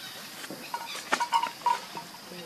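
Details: Baby monkey Lucie crying for milk while hungry, foaming at the mouth; short thin whistled cries near one pitch, several quick notes clustered in the middle second, over steady background hiss and faint rustling.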